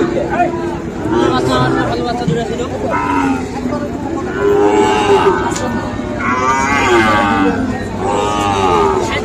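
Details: Sahiwal bull calves at Ambari market in Tangail, Bangladesh, on Friday 25 August: several overlapping moos, drawn-out and harmonic, rising and falling one after another over a busy background of crowd noise.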